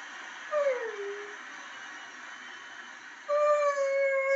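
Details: Borzoi, also called Russian Wolfhound, from Llanrwst, North Wales, singing along to Pavarotti's Nessun Dorma: a short falling howl near the start, then a long steady high howl held to the end over faint music.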